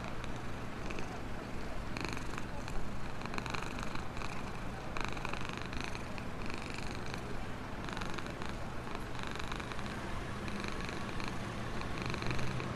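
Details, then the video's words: Black homeless cat purring happily while being fed near the store where it lives in a box; steady deep rumble broken by rhythmic breathy pulses, with faint background hum. "Purring of a happy black cat"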